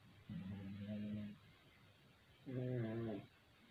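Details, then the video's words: Two Pekingese dogs, Chewy and Loki, snoring loudly: two low, droning, buzzy breaths about a second long, the second starting about two seconds after the first ends and louder, with quiet room tone between. "2 Pekingese snoring loudly"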